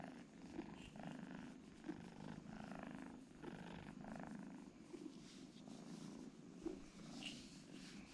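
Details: Two kittens sleeping side by side purr in a soft, low, continuous drone, rising and falling in regular breathing cycles, with faint small clicks.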